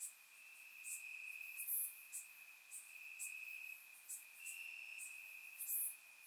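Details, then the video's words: Crickets singing at night in grassland in Bulgaria during warm summer weather: an unbroken high trill plus short, very high chirps repeating roughly every half to one second, varying in loudness. "Cricket Sounds - Crickets Chirping at Night"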